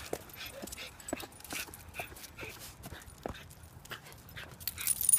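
A schipperke gives a run of thin, high whimpers and brief yips, uneven and insistent. The whining signals distress at being left behind, with some faint background noise.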